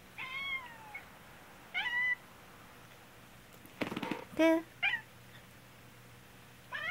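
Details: A black cat keeps crying whenever its owner, who has a cold, coughs. Several brief and longer meows are spread across the clip, and a burst of coughing is followed by a sharper, higher meow.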